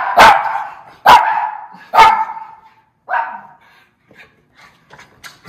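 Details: Miniature schnauzer brothers excited about going outside to their rest area: three loud sharp barks about one second apart, then a softer fourth, followed by faint scattered tapping and rustling.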